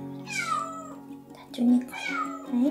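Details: A domestic cat in a home on Jeju, where a stray kitten had wandered in, gives two drawn-out meows that slide downward, each followed by a lower wavering tone, over faint background music.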